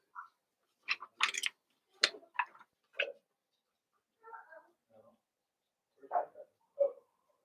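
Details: Blenheim Cavalier King Charles Spaniel puppies, a litter of five born at New Year to Paris and Spike, in an indoor puppy pen: a quick run of short squeaky yips and whimpers, some with noisy bursts, then softer whines spaced about a second apart.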